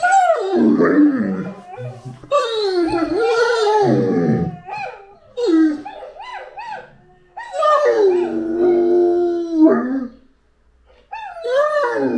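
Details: Great Dane named Anúbis howling and whining in loud, bending tonal phrases that rise and fall, with pauses and a few sharper bursts.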